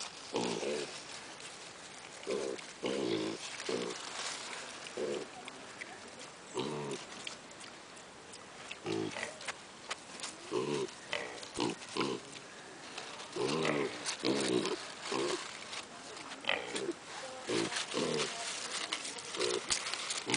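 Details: Piglets at a zoo: a series of short, low grunting bursts, irregular and often in quick pairs, spread across the recording with faint background noise.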